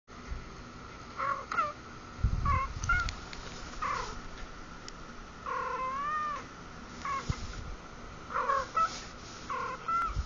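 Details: Domestic cats meowing in a talking-cat compilation: a string of short harmonic mews, several bending up and down in pitch, spaced through the stretch, with a steady electrical hum and a few low thumps underneath.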